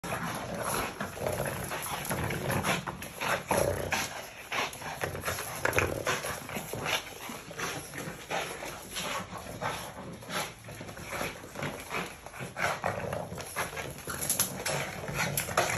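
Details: Two Boston Terrier half-sisters play in a garage during Maine's mud season, giving bursts of short, sharp barks mixed with low growls and scuffling.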